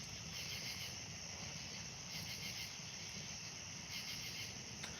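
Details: On a summer night by a pool, crickets in full swing give an unbroken high-pitched trilling chorus, with sharper bursts of chirps surging every two seconds or so. A soft low rumble sits underneath, and a bullfrog calls in the distance.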